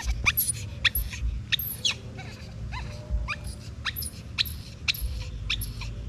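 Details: Crying from a baby monkey separated from its mother: thin, shrill squeaks sweeping downward, uttered in irregular quick succession over a steady low background rumble.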